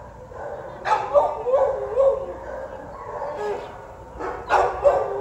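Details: Alaskan Husky named Guzman, up for adoption, letting out sharp yelps that slide into wavering whines, two loud bursts separated by a few seconds of softer whining.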